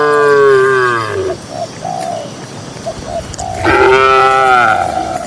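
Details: Cattle among dozens of cows walking calmly across a green pasture: two long, drawn-out harmonic moos, the first sliding downward and the second rising then fading, separated by soft dove-like cooing.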